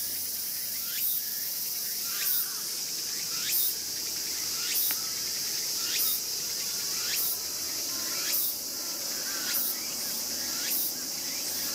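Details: Raccoon dog pup, one of this year's litter of siblings, cries as a brother bites its tail in August 2012; brief shrill downward-hooked squeaks recur evenly about every 1.2 seconds above a constant high buzzing background.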